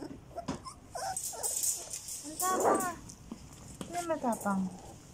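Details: Border Collie mix pups, 14 days old (Turjak), utter thin, quavering whimpers, one swelling cry midway and a rapid series of falling squeaks near the end, over steady rustling and handling noise.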